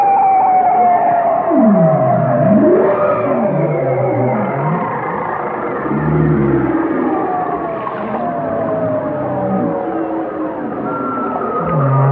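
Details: Whale song with long falling whistled tones, deep swooping V-shaped glides that drop and rise again, and short low moans, overlapping continuously over a constant underwater hiss.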